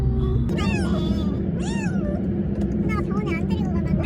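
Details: Siamese cat at an animal hospital for a cough, producing a few wavering, arched meows mixed with a woman talking in Korean and steady low background hum.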